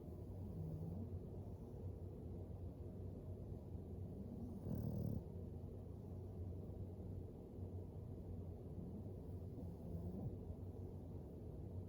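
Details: Floyd, an English Bulldog asleep by a fire, snores softly: faint low, drawn-out rumbling breaths recur every few seconds beneath a steady deep background hum, with one slightly louder snort near the middle.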